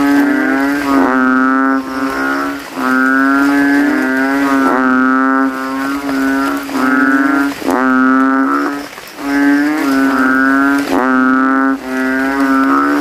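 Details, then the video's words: Male banded bullfrogs in a cemetery puddle at night after rain, inflating throats and calling against rivals; a dense run of about a dozen loud, low, nasal moaning calls, each around one second, chained together with very short breaks. "GENANGAN AIR MENJADI AJANG LOMBA KODOK INI BERTARUNG SUARA KERAS"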